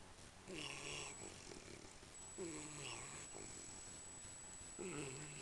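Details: American Pit Bull Terrier asleep with open mouth and tongue hanging out, giving three soft, raspy, voiced snores about two seconds apart against a thin constant high tone.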